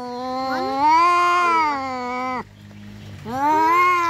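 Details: Domestic cat fight yowl: one long sustained wailing howl lasting over two seconds, slightly wavering, then a brief low rumble and a second rising howl.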